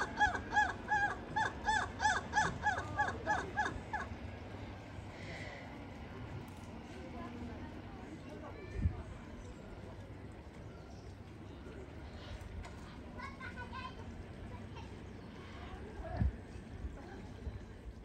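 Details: At Izu Shaboten Zoo, Japan, on 12 November 2022, a black lemur gives a rapid run of harsh, nasal, crow-like cawing calls, about three per second for four seconds, then quieter background murmur.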